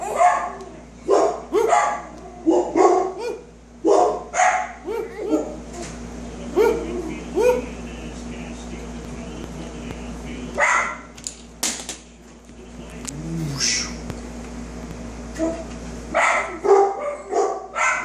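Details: Dog barking in short, loud bursts, several in quick succession and then pauses, with talking mixed in among the barks and a steady low hum underneath.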